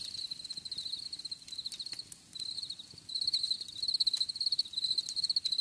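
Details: Cricket chorus outdoors, a thin high trill of fast pulses running in bursts, quieter for a moment midway before swelling louder, with occasional soft clicks in the background.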